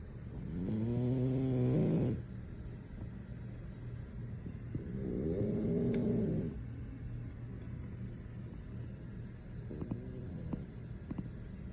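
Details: French Bulldog sleeping soundly, with two rumbling, buzzy snores early on, then only soft breathing and faint clicks for the rest.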